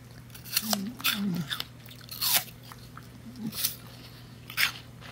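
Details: A female mini Bull Terrier crunches an apple, with sharp, wet bites breaking out every second or so.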